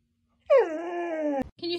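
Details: Dog, from a breed group named as husky, Siberian and malamute, gives a drawn-out howl that falls in pitch at the start then holds level with strong harmonics, breaking off abruptly before a short second tonal note.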